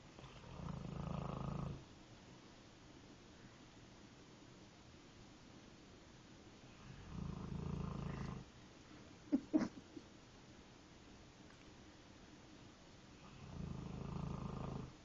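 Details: Nine-month-old Mastiff puppy asleep, giving three slow, deep rasping snores spaced roughly six seconds apart, with quiet breathing between and a couple of sharp clicks midway.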